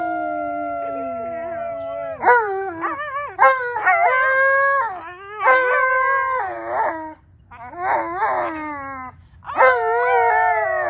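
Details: Two Alaskan Malamutes howling together indoors, long wavering tonal howls that rise and slide down, broken into bursts with short yips and gaps, voices overlapping throughout.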